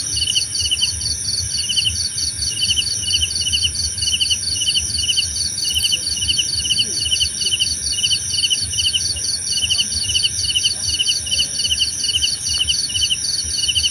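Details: Steady insect chorus of crickets: rhythmic, buzzy pulsed chirps, a higher continuous beaded trill and a persistent shrill ringing, all over faint low-frequency background noise.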